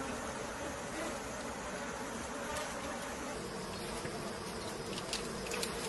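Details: Bees while men collect honey from them in the wild, a dense, continuous buzzing hum filling the whole clip at a steady level, with faint scattered clicks.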